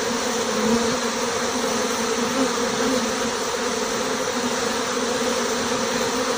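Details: Honey bees swarming out of a six-frame nucleus hive, the queen marked with a white dot leaving among them; a loud, even, humming drone with a steady pitch and no pauses, thousands of wings merging into one sound.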